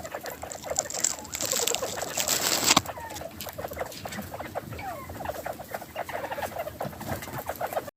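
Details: Domestic bobwhite quail flock enjoying spring mix lettuce, giving happy feeding chatter: quick soft chirps and little upward-sliding notes, with loud rustling hiss over the first three seconds, then steady twittering.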